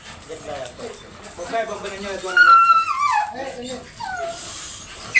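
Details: Dobermann at a stud service in Bunuan, Dagupan City, Pangasinan: one long, high whimper that slides downward, with people speaking before and after it.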